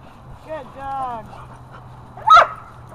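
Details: Dog at Happy Puppy Park playing with a newly installed tetherball: a person's voice speaks briefly, then one short, sharp, loud bark bursts out near the end over a steady low hum.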